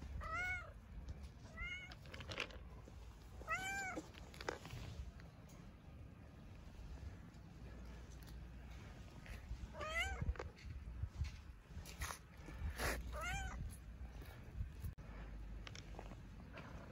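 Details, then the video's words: Tabby street cat from Istanbul meowing loudly as though begging for food: short, clear meows in small clusters, separated by quiet stretches, with rustling and low street rumble between calls. "Beautiful cat meows loudly as if to say I'm so hungry"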